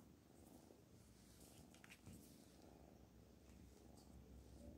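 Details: Pet cat named Black Panther purring softly, a steady low rumble with a few faint clicks over a hissy background.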